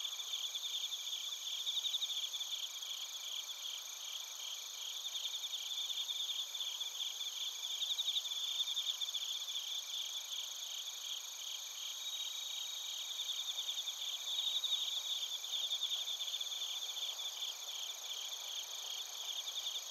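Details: In Narita, Chiba, Japan, bell crickets and other crickets chorus together, captured with a TASCAM Portacapture X8: continuous high-pitched trilling and rhythmic pulsed chirps layered over a constant ringing hum, steady throughout.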